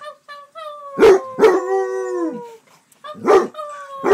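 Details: Male Basset Hound at home giving loud barks between long, tonal howls that bend and sink in pitch, each howl lasting about a second before breaking off.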